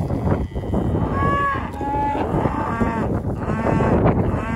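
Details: Hereford cattle, a group of fifteen heifers with fifteen calves; drawn-out harmonic moos overlap, one rising then levelling, others following, over a steady low rumbling background noise.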